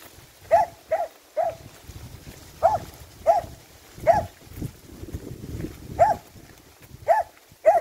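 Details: Finnish Lapphund dog barking in bursts, roughly ten loud, sharp barks over eight seconds, some paired quickly and others spaced a second apart, with faint low noise between.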